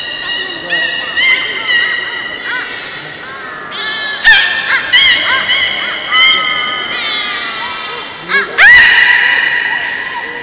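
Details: Belugas during a public training session at Port of Nagoya Public Aquarium, 18 July 2016, 13:30 show: dense overlapping harmonic whistles, wavering squeals and honk-like squawks, some rising sharply, over a steady hum of crowd noise.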